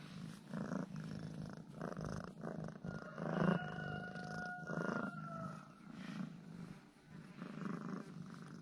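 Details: Affectionate domestic cat, won over by two ham sausages, purring in rhythmic low pulses roughly every second or so, while a thin steady whistling tone sounds briefly in the middle.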